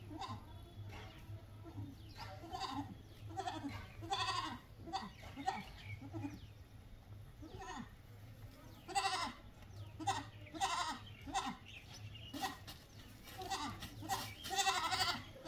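Goats bleat repeatedly in short, wavering, nasal cries over a steady low hum.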